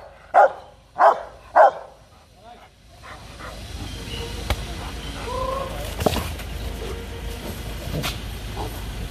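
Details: An aggressive Rottweiler barks threateningly and demandingly: three loud, harsh barks in quick succession about half a second apart, followed by quieter background noise with a few clicks and faint voices.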